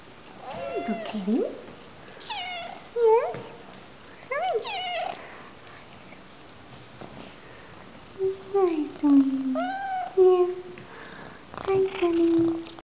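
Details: Young female Russian Blue rescue cat, affectionate and purry, talking when spoken to indoors: a chatty run of varied meows, some high and wavering, others low and drawn-out, coming in bursts with short pauses between.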